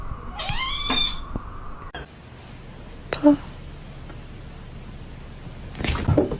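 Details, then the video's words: Domestic cat gives one clear rising-falling meow near the start, followed by quiet room noise, a brief knock and a muffled sound at the end, with a person speaking nearby. "Funniest Cat"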